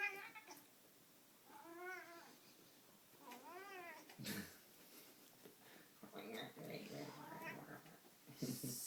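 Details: Male pet cat playing intensely with a string toy indoors gives two long arched yowls a second apart, then shorter broken meows mixed with thumps and rustling from play and a person's voice.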